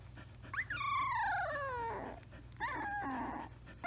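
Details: Samoyed puppy making a long drawn-out whine that falls steadily in pitch over about a second, then a shorter wavering whimper after a brief pause, in a quiet indoor room.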